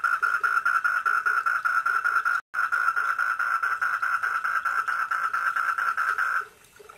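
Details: Four-lined tree frog calling at a koi pond at night, a continuous fast-pulsed rattling buzz broken by one brief silence and stopping near the end, with quiet low notes recurring beneath.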